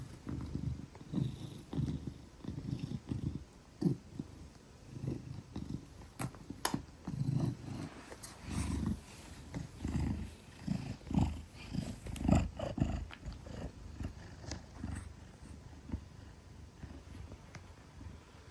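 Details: Gelic the Maine Coon, about 10 kilograms, purring while cradled trustingly in arms; soft low rumble rising and falling with each breath, interrupted by occasional handling clicks and rustling.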